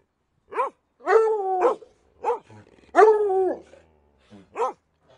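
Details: Dog giving a series of barks, some short and clipped, others drawn out into longer howling barks with falling pitch, about six calls spaced irregularly over five seconds.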